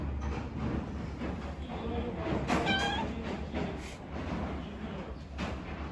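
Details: Stray kitten living on the street alongside its mother and littermates: a soft, short call, then one clear, harmonic meow that rises and falls, set against a steady low rumble of background noise.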